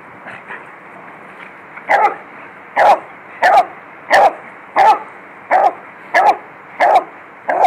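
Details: Beagle playing with a Lab in a yard, dogs running around: a steady run of about nine sharp, mid-pitched barks, one roughly every 0.7 seconds, with a faint earlier bark or two before the series builds.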